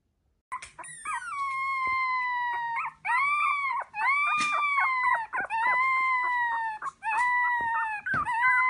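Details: Dog giving long, high, tonal whines, each held for about a second or two, some rising then sliding down, repeated with short breaks; no other sounds.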